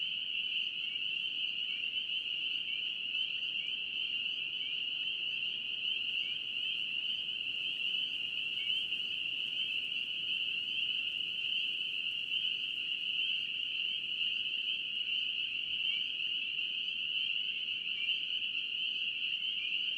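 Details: North Carolina spring peeper chorus, a constant piercing wall of high-pitched peeping with many overlapping upslurred notes and no pauses, over faint low background noise.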